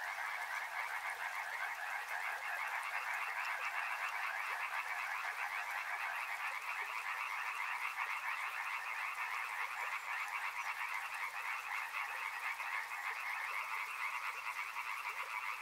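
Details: Frogs calling by a river: a dense, continuous chorus of rapid croaking pulses forming a steady mid-pitched band, holding level throughout with a faint hiss above.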